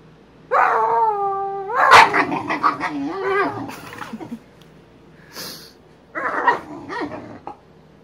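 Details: Emma and Wyatt, Boxer dogs, play fighting: a long steady high whine opens, breaks into a sharp bark, then rough rolling growls, with two shorter bursts of yips and growls later.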